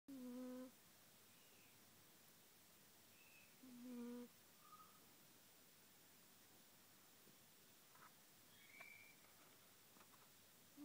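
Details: Taffy, a Siamese cat, snoring: brief squeaky whistled tones with faint overtones at about four-second intervals, each breath sliding slightly downward, with quieter high chirps in between and otherwise a hushed room.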